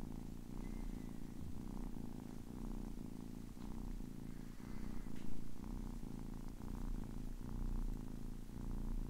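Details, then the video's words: Purring of a kitten aged ten weeks, a deep continuous rumble rising and falling with its breathing roughly every second, with a faint brief high squeak twice in the background. "10 weeks old kitten purring"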